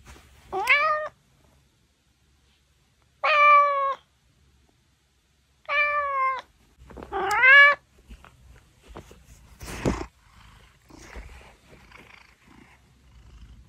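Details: Male Maine Coon meowing loudly as a wake-up call, wanting cuddles: four drawn-out, rising then falling meows a couple of seconds apart, followed by rustling, a thump and soft shuffling sounds.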